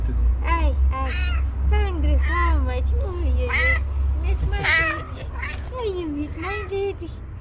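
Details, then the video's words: Hungry female house cat meowing rapidly in the morning before breakfast: bright, rising-then-falling mews in fast bursts, overlapping a woman's affectionate chatter and a low background hum. "Fastest meowing cat ever"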